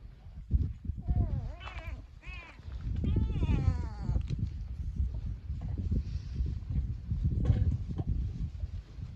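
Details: Two-coloured cat filmed alongside a lizard, giving a few short wavering meows, one dipping then rising, followed by a longer run of drawn-out, falling meows, over heavy low rumbling and handling thumps.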